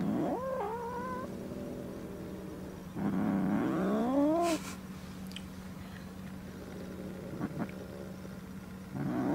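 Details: Pet domestic cat Peko threatening for the first time, upset at a new calico kitten, on trial for adoption, inside his old cage at their first meeting. Low wavering yowls rise and fall, with one short harsh hiss-like burst midway over a steady background hum.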